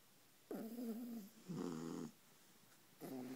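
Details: Two Beagles, a mother and her puppy, snoring while asleep on a pillow: three rasping snores with a buzzy, wavering tone, each lasting about half a second to a second, separated by quiet breaths.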